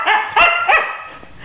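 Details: Newly adopted female husky protesting at being told to get out of bed: three short, harmonic, whiny yelps in quick succession, then a fading tail, with a person nearby coaxing her up.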